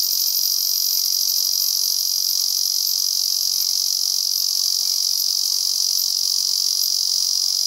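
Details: A male Ezo cicada keeps up an intense, shrill, rapidly throbbing buzz on a cloudy day in a season of heavy rain, steady and without breaks.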